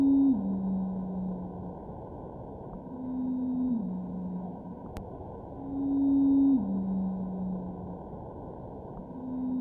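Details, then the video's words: Blue whale song played back at an audible pitch: long tonal units stepping downward, repeated every few seconds. Blue whale voices have dropped by the equivalent of three white piano keys in recent years, and this clip illustrates that difference. "whale voices had gone down the equivalent of three white keys on the piano and here we can hear that difference"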